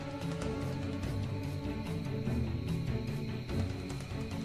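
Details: Dense, dramatic orchestral theme music with heavy low tones fills the whole stretch, and no animal calls can be picked out.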